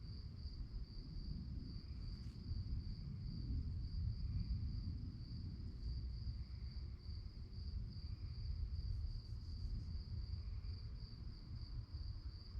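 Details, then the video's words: Crickets chirping at night: an unbroken high-pitched pulsed trill sits above heavy low-frequency rumble, with a few faint brief clicks scattered through. "relaxing sounds of crickets"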